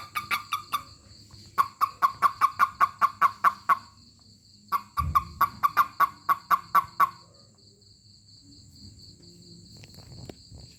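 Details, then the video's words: Toad reacting to being touched with bursts of loud, evenly spaced clucking chirps: a short run, then two long runs of about ten to thirteen pulses, followed by quiet handling rustles. "Funny Toad 🐸 Sound when I Touch it/面白いヒキガエルの鳴き声"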